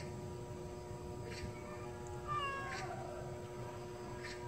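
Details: Stray cat back after being neutered through a trap-neuter-return program, giving one short, faint meow midway that bends upward then falls, over a steady low hum and soft background noise.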